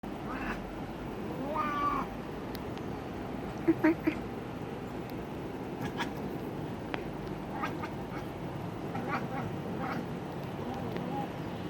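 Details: Ringo, a pet cat, chattering at a bird: a short harmonic, nasal burst early on, then scattered sharp clicks and soft stuttering chirps over a steady low background hum.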